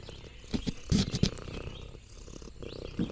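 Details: Lexi, an orange tabby cat, purring contentedly while exploring a countryside farm: a low rumbling purr broken by sharp crunchy bursts like chewing or crinkling leaves, with faint high chirps in the background.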